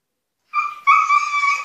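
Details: Husky Altezza, kept in an enclosure when punished, calls to be let out: a brief steady high whine in two bursts, the second louder and sustained, with clear harmonic bands and no other sounds.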